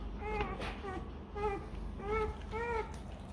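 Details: A hungry Rottweiler puppy cries for its mother to feed it milk, in short, arching, high whines repeated about twice a second.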